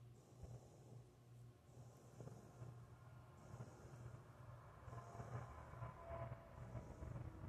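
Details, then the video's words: Female Rottweiler puppy named Cindy Lou, picked up and held, dozing and snoring; soft breathy rasps in and out roughly every one to one and a half seconds, with a constant low background hum indoors. "Snoring Rottweiler Puppy"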